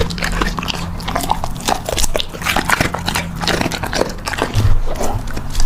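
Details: Puppy eating, close crunchy chewing with rapid irregular clicks and bites, a steady low hum underneath.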